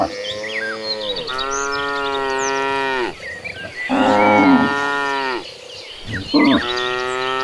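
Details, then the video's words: Gentle cows walking in a herd to green grazing land call almost without pause: long, rich, harmonic moos, some rising and some falling, overlapping, with scattered bird chirps behind them. "A herd of gentle cattle walking toward the green pasture, the sounds of calm cows."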